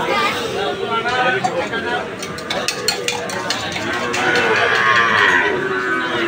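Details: Moos from cattle and calves at the Aricha market, drawn-out and overlapping, heard against steady human chatter and some clicking noises.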